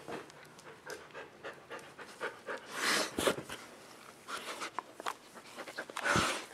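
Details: Several dogs playing indoors on a dog bed on a rainy day, waiting for the rain to stop; quick, breathy, rasping pants come in irregular bursts, with a louder huffing surge around the middle.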